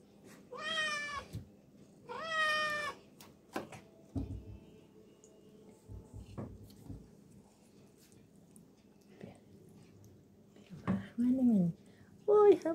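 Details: Garfield the cat, lying in a tub of water, lets out two long, strongly harmonic meows about two seconds apart. Scattered knocks and soft voices follow, and short fainter cries come near the end.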